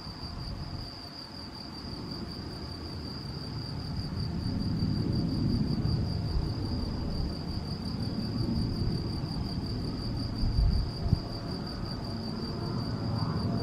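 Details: Steady high trill from a male field cricket at Macieira da Maia, Vila do Conde, Portugal, 7 May 2021, recorded with a Canon PowerShot SX70 HS; persistent low wind rumble swells midway, and a couple of soft knocks come late.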